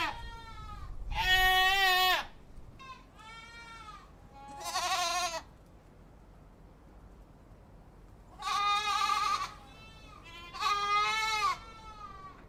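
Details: Six quavering goat bleats in two bursts, loud nasal cries with a pronounced tremble, separated by a quiet pause of several seconds.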